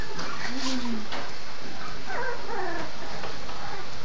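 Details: One-month-old cocker spaniel puppy gives thin, high whines that slide downward, indoors with a faint background hum.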